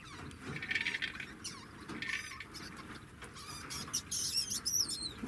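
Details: Singing degu with soft mid-pitched chatter early on, then a burst of quick, high, upward-sweeping chirps near the end against steady rustling noise.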